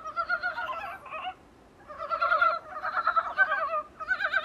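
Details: Dybowski's brown frogs recorded at a small room's window: long rolling, pulsed croaks with a brief silent gap, then overlapping rattling calls building again.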